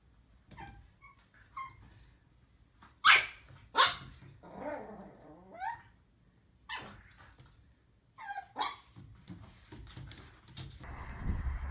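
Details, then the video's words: Puppies learning to bark, with a few sharp, broadband yaps standing out in the middle and smaller bursts later. Human voices and household noise fill the gaps. "Puppies Barking - Cute Puppies Barking Compilation"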